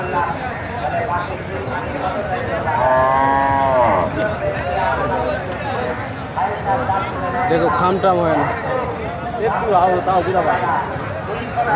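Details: Cow lowing among several cows, a drawn-out harmonic moo lasting about a second, rising slightly then falling, with steady crowd chatter, human voices and distant traffic around it.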